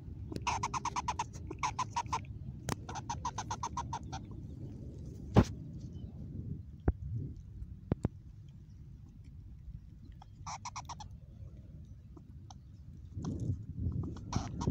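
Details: Mama Squirrel, a mother squirrel in a new spot, giving an unusual vocalisation: rapid trains of clicky, buzzy pulses in bursts through the first four seconds, then scattered sharp clicks and another short burst near eleven seconds over low rumbling background noise.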